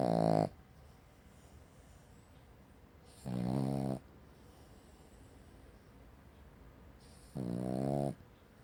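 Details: Cavalier King Charles Spaniel snoring like a chainsaw: three short, harsh rasping snores, roughly every three to four seconds, with near silence in between.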